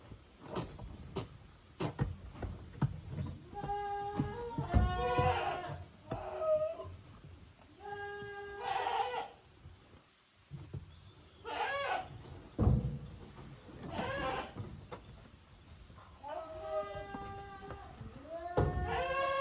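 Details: Kids of the goats Koharu and Okayu playing in two teams on a Japanese goat farm yard, June 13, 2023; repeated wavering bleats from several young goats, with sharp knocks and footfalls.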